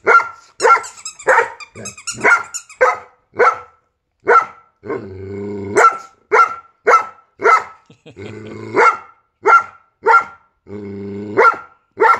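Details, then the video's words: A Giant Schnauzer barks in reply to a squeaky sound. Quick, forceful barks come roughly twice a second, broken three times by short, low, rumbling growls before the barking resumes. "Giant Schnauzer vs squeaky sound"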